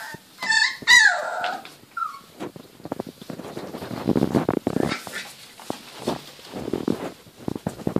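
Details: Playing Border Collie puppies at 28 days old give a couple of sharp, high squeaky yips and a brief whine at the start, followed by rustling, pattering paws and scuffling sounds of rough play.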